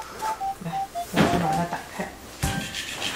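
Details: A light background melody of bright notes plays indoors, with soft knocks and a brief muffled voice-like burst but no clear animal call.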